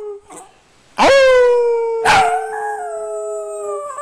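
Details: Rooing dog giving two long, sustained, tonal howls: each starts with a sharp upward swoop and then holds a steady, slowly sinking pitch for several seconds.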